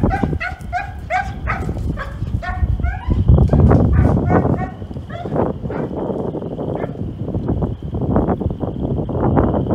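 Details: Female German Longhaired Pointer, ten months old, barking loudly as she sight-chases a flushed rabbit after finding it by nose in brush piles; a quick run of sharp, harmonic barks over three seconds, then rustling, footfalls and a steady thin whine.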